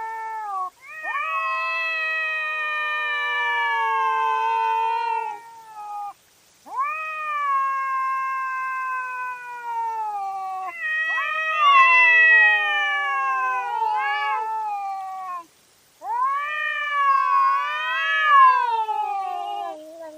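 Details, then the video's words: Cats fighting at night, filmed by a trail camera: loud, drawn-out yowling wails with wavering, rising and falling pitch, four long cries separated by brief pauses, growing more strained toward the end. "Cat Fight at Night & Call Weird Sounds"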